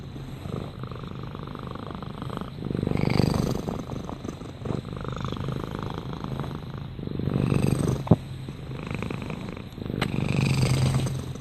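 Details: Purring house cat, a deep fluttering rumble that grows louder in breathing cycles every few seconds, with a couple of brief sharp clicks and steady faint hiss behind.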